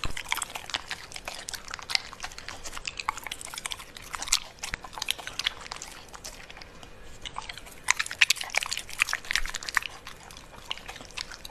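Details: Pembroke Welsh Corgi eating food, dense rapid crunching and chewing clicks throughout, louder bursts near the end, no other clear sounds.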